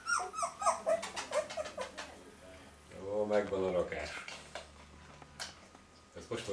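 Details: Fox Terrier puppy indoors; a quick run of thin, high whimpers and squeaks in the first two seconds, then lower vocal sounds and a person's voice in a small room.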